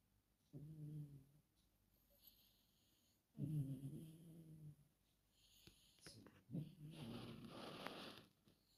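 A Chihuahua snores in its sleep, each breath a low, rattling buzz of roughly a second with quiet gaps between. The final snore turns into a breathier, hissing exhale with some faint rustling.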